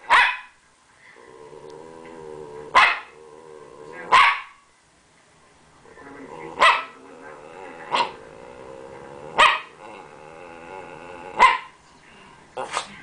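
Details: Champ, a Rat Terrier, barking playfully for attention, stub tail wagging; seven short, explosive barks spread irregularly over the recording, with a steady tonal whine filling the gaps between them.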